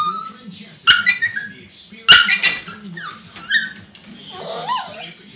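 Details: Young Yorkipoo dog in timeout whines to get attention while stomping its paws; short high whimpers and wavering squeaks between two sharp thumps, with faint human voice in the room.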